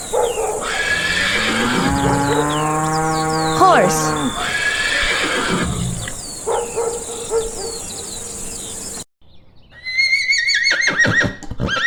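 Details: Horse whinnying on a farm: a long, shaky, descending neigh with a stack of tones, followed by other bright, high calls. Chirping birds and faint voices are heard in the background.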